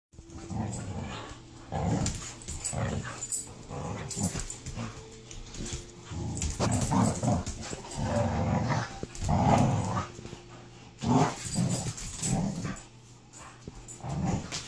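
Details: Dog at play with the neighbouring French mastiff in Auburn, California, around 2015: rough, low growls and huffs in uneven bursts every second or two, with scuffling between them.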